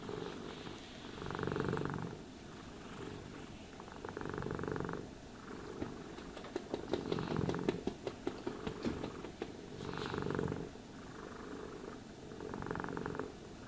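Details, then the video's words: Purring house cat being groomed with a brush: steady low rumble rising and falling in breath-length bursts about every two to three seconds, with scratchy brushing strokes and a few sharp clicks in the middle. "Cats Purring Sounds for Sleep and Stress Relief | Cat Brushing, Cat Grooming"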